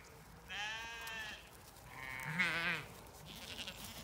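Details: Zwartbles sheep on a regenerative farm in County Kilkenny, Ireland, keen to move into fresh pasture while being herded by a dog; two wavering, nasal bleats, the second rising then falling, over quiet field background.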